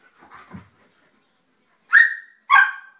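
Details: Female Samoyed dog playing with a companion, recorded 2 September 2010: two sharp, high, tonal yips about half a second apart near the end, preceded by soft human speech.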